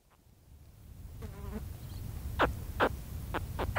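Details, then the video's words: Baby spectacled caiman giving close contact calls: short, sharp downward-sweeping chirps, several in quick irregular succession in the second half, over faint wind and a brief fly buzz. "Spectacled Caiman / CU Contact Calls From Baby Caiman"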